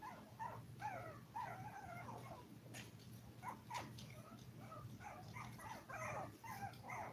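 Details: Five-week-old Toy Poodle puppies from a litter of seven give thin, wavering whines, some drawn out and sliding up and down, others short and broken, over a constant low hum and faint clicks.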